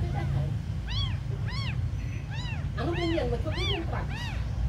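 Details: Tiny abandoned kittens mewing: six clear high arched meows roughly every half second, with harmonics stacked above, over a low constant hum.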